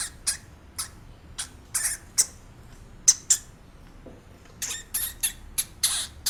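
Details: Hamster squeaking: short, sharp, high-pitched bursts come in irregular bunches, some in quick pairs and a denser run toward the end, over a quiet indoor background.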